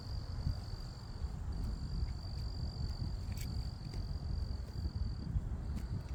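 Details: Crickets chirp in a December evening (17 December, 80°F) outside Houston in southern Texas, a steady, high, ringing trill with short breaks over a low background rumble.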